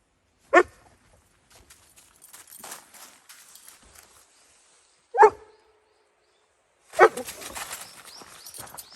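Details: In Hokkaido, a Dobermann on a sunset walk along a snow-dusted mountain road at 0°C, 2 December 2020, reacts to a wild deer with three loud, isolated barks spread over several seconds amid footsteps, rustling and a woman speaking.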